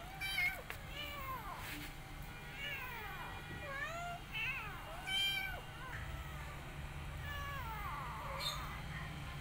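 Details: Rescue mother cat tending her kittens and an adopted kitten; repeated high, arching meows of varying length, some sharp and loud, others drawn out and falling, spread across the whole stretch over a low background rumble.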